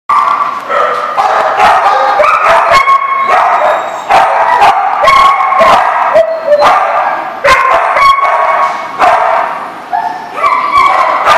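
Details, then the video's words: Several dogs barking together at a dog lot on June 30, 2014: a dense run of overlapping, sharp, harmonic barks with almost no pauses, some higher yips mixed in, continuing through the whole stretch. "The Barking Lot"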